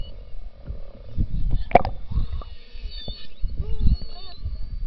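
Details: Beluga whales recorded underwater in the Churchill River beside Hudson Bay, Churchill, Manitoba, in summer, when they come into the river to mate; they give thin, arching whistles and chirps over low, rumbling water noise.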